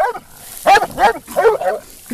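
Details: Almost two-year-old female black and tan coonhound in UKC training, giving three short, tonal barks in quick succession with a faint yelp at the start, over a quiet background.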